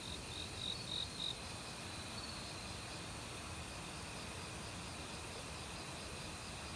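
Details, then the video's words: Crickets in an autumn forest, with several short, bright chirps in quick succession near the start, then continuous high insect trilling over the rushing of a nearby valley stream. "가을 귀뚜라미 소리"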